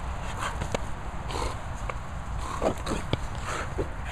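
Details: Two Staffordshire Bull Terriers, Esme and Leo, clowning around in play: short snorting grunts and brief throaty growl-like bursts scattered through, over a steady low rumbling background.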